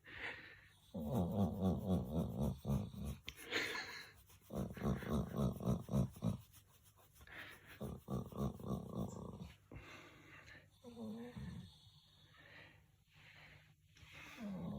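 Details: A Golden Retriever makes low, throaty, pig-like grumbling moans in repeated bursts while being petted and talked to.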